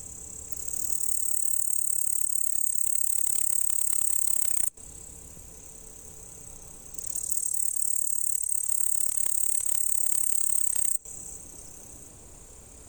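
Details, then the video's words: Male Tettigonia cantans stridulating: a loud, dry, high-pitched buzzing trill held in long unbroken bursts of about four seconds, each followed by a brief quieter stretch before the shrill whirring resumes, repeated twice. "Стрекотание певчего кузнечика"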